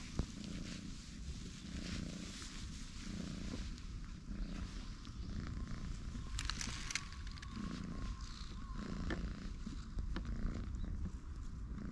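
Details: Purring from one of two orange tabby cat brothers, one light and one dark, relaxing and stretching together on a bench; steady low rumbling pulses about once a second over outdoor rustling background.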